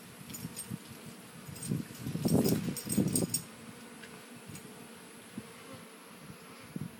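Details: Bees visiting hummingbird feeders: a low buzzing hum swells for about two seconds mid-clip as a bee flies near, with a few light metallic clinks and otherwise quiet surroundings.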